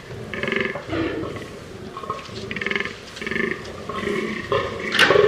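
A fallow deer gives a run of deep, belching groans, one after another in a steady rhythm.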